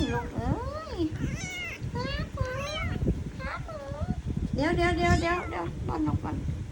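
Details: Hungry kittens mewing persistently before being fed milk: a steady run of high, wavering, arched cries, some stretched and quavering, overlapping each other, with a woman's Thai chatter and rustling in the background.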